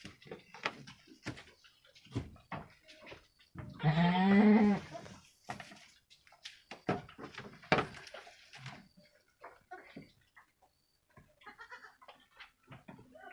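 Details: Goat kids about one week old, two females of Javanese Randu crossbreed, at play in a pen: a single wavering bleat of over a second, surrounded by scattered clicks, thumps and shuffling.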